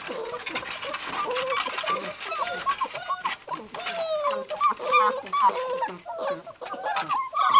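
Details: Gordon Setter puppies, six weeks old, tearing up a living room indoors; many overlapping high whiny whimpers and short yips, rising and falling squeals from several pups at once, with a little human speech mixed in.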